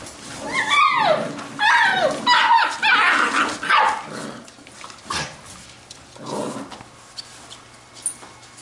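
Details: Labrador retriever puppies from the B litter at play, giving a run of loud, high, falling yelps and whines in the first four seconds, then softer scattered squeaks and rustling as the playful noise dies down.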